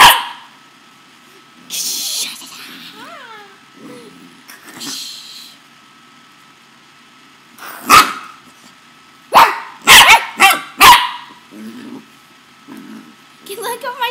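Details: Playful pet corgi barking and growling while tugging at a person's shirt: scattered short barks, then a rapid burst of four loud barks near the end, mixed with a man's voice telling the dog to calm down.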